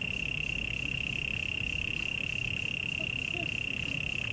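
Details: At Taipei Botanical Garden, Taiwan, a cricket gives one continuous, even, high-pitched trill throughout, pulsing rapidly at a steady rate, with faint low chirps and a background hum underneath.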